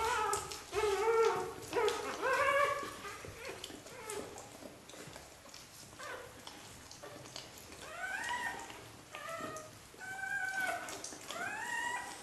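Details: Indoor chorus of Xoloitzcuintli pups, first xolo litter in Switzerland: thin squeaky whimpers and arched whines, a busy cluster early, then spaced rising-falling cries about once a second, with soft rustling underneath.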